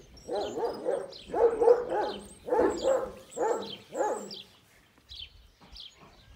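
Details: On a Kangal breeding farm, deep barks tumble out in quick bursts of three or four, separated by short gaps. The sound fades to faint chirps at the end.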